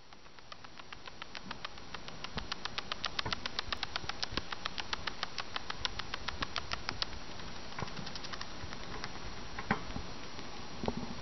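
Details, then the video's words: Rosi, a 13-week-old female fancy rat, bruxing and boggling right after a big meal: a rapid train of sharp, dry tooth-grinding clicks, several each second, steady over faint background hiss. "Fancy Rats: Rosi stretching, bruxing, and boggling"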